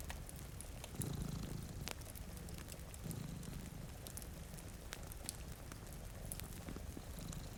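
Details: Domestic cat purring while sleeping before a rainy window, one of two cats; low rumbling purr in swelling phrases, backed by sharp crackling fireplace pops and a steady hiss of rain.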